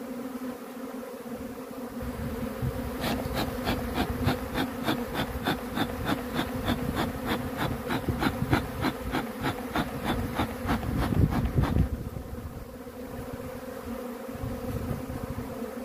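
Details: Continuous humming of honey bees. A run of rapid regular puffs or clicks, about three per second, starts after a quiet opening, stops near the end, and the drone continues alone.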